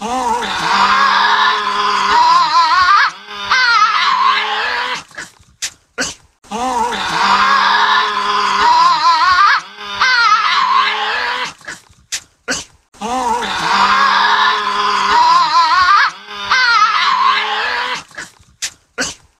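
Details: Tasmanian devil in a zoo giving warning sounds: a harsh, rasping growl-scream with wavering harmonics lasting about three seconds, followed by sharp clicks and short hisses, the same pattern repeated three times.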